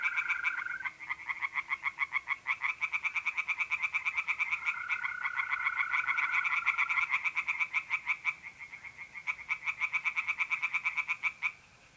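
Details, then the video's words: Tree frogs calling from a pond on an April night in North-East Italy: long runs of rapid rasping croaks, with mole crickets trilling steadily behind; the chorus stops at the very end. "relaxing singing tree frogs in pond and trilling mole crickets by night"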